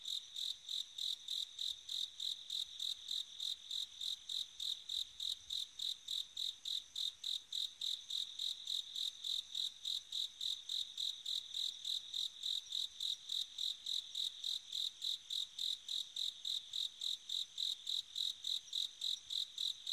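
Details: Bell cricket on an autumn night: a steady series of high, bell-like ringing pulses, about three or four each second, continuing evenly throughout with a quiet background.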